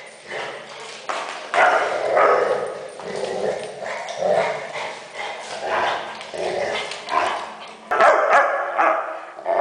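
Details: A Weimaraner making funny noises: continuous talkative grumbling and moaning, rising and falling in short waves, with a louder burst near the end.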